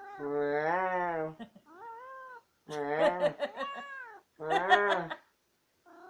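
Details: Chatty female house cat that always insists on the last word, giving long drawn-out yowling meows with wavering pitch, three loud calls separated by brief pauses, in a small quiet room.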